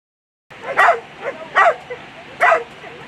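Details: German Shepherd at a world championship agility final, three sharp barks spaced under a second apart, each bright and clipped, over a steady hum of background noise.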